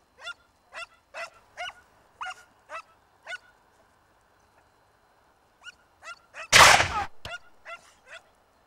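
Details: Segugio Italiano pack pursuing a hare in a vineyard in Italy, early 1990s: a crisp run of evenly spaced barks, a short lull, more barks, then a sudden loud burst of harsh noise before the barking resumes.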